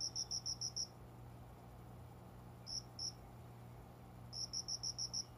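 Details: Indoor cricket near a window planting at dawn, about 5 a.m., summer, unseen; a run of six quick high pulses, two isolated chirps, then another six-pulse burst, over a quiet low hum.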